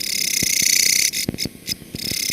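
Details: A Mecopoda katydid, a leaf-litter dweller from Indian rainforest that has spread beyond it, gives a harsh, rough, hissing buzz, then breaks into loud, grating pulses.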